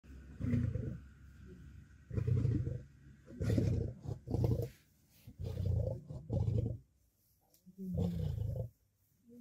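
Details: Lions, lionesses and cubs fighting for dominance over food at a kill, where the hierarchy decides who feeds first: harsh, deep, rasping roars and snarls in six or seven bursts of about half a second to one second, with short pauses between.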